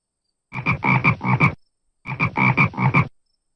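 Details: Frog, presented together with its young, the tadpole: two bursts of rapid, rattling croaks, each made of about four rasping pulses, separated by a short silent pause.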